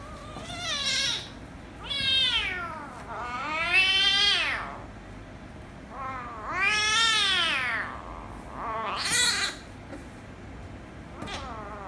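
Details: Meowing from a ginger kitten and a rescue kitten after the ginger one angered the other: a nearly continuous run of long, wavering, strained meows, some arching up and down, others high and thin, with brief pauses between.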